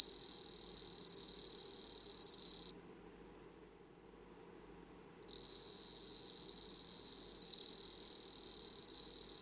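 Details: Bell cricket in Japan, recorded for a footage library, producing a clear, high, bell-like continuous trill with slight pulsing swells, stopping for about two and a half seconds of silence before resuming.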